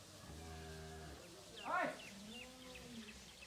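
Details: Heifer calves aged 13 to 14 months, seven of improved breeds, kept on a farm in Pabna, Bangladesh: one low, steady, droning moo lasting about a second, followed by brief high chirping sounds and faint background murmur.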